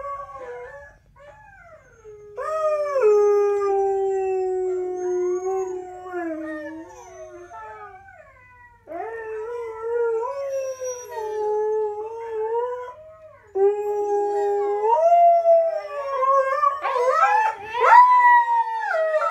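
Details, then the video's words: Loud, clear howling from two dogs named Coda and Diesel, long sliding notes repeated in phrases of several seconds, rising into quavering overlapping cries near the end, with no other sounds. "Coda and Diesel Howling"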